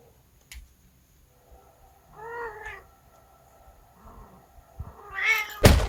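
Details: Pet cat indoors in a small room, described as suddenly flaring up with surprising charm, gives a rising, harmonic meow midway, then a second louder, drawn-out meow near the end, followed by a sharp thump.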